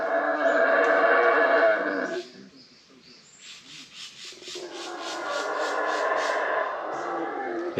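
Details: Howler monkeys roaring in jungle near Flores, Guatemala, captured on a GoPro: a hoarse, sustained roar that drops away for about three seconds, then builds back into a steady growling chorus.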